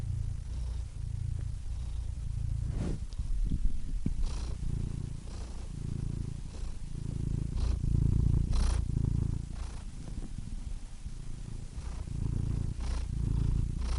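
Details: A pet cat purrs in a low, throbbing drone with irregular breath cycles, scattered brief clicks and breathy hisses over the rumble, swelling louder near the middle.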